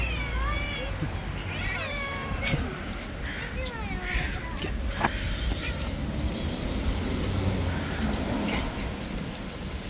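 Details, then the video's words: Street cats attacking one another on the angry white cat's turf produce a run of repeated rising, wailing meows and caterwauls in the first half, then fainter cries, with constant low outdoor rumble. "All cats Attack each other in the Angry White Cat's Territory."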